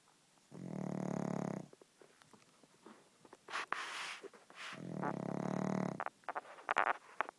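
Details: Pug asleep and snoring: two drawn-out, buzzy, rumbling breaths separated by a few seconds of shuffling and soft clicks, with sharper crackling noises near the end.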